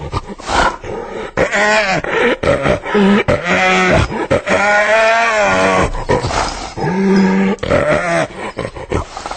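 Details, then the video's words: Hyena making dense, overlapping calls: harmonic wails bending up and down, interrupted by abrupt breaks, loud throughout. "Real Hyena Sound I Sonido de Hiena Real I Vrai Son Hyène"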